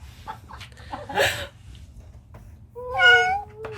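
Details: Older sister cat hissing at a kitten during their introduction, the kitten's tail gradually dropping; one short, broad, breathy hiss burst early on, later a high wavering cry sliding downward, soft background music.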